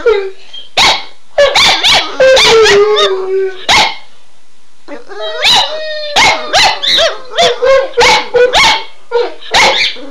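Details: {'caption': "Pet dogs stirred up by an owner's cue phrase, mixing rapid yips and barks with short howls, a silent pause near the middle, then a run of quick repeated yelping barks."}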